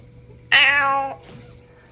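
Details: Domestic cat indoors, meowing right after being told to say sorry: one loud, harmonic-rich meow lasting over half a second, steady then slightly falling, followed by a faint trailing sound and a quiet room hum.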